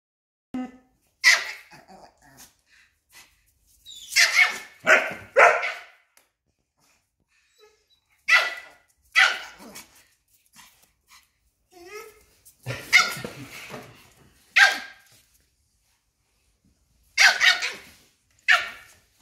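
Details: A fearless tiny female Papillon stands up to a Belgian Malinois and corners the bigger dog; sharp, high barks burst out singly and in quick clusters of two or three, with silent gaps between bouts, in a quiet indoor space.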